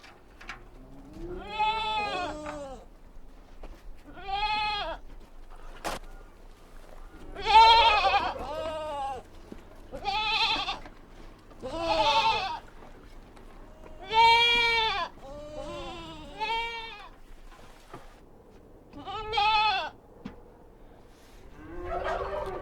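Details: Young goats on a farm give high, wavering, nasal bleats, repeated every few seconds.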